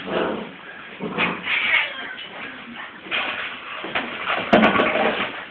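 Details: Several Transylvanian Hound puppies whine and yip in short overlapping bursts, thin tonal cries interspersed with scuffling and a sharp knock near the end.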